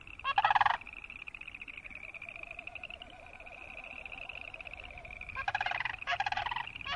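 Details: Boreal chorus frogs croaking: loud, rasping pulsed trills under a second long near the start and again near the end, over a steady high pulsing chorus of many more frogs and a lower wavering drone.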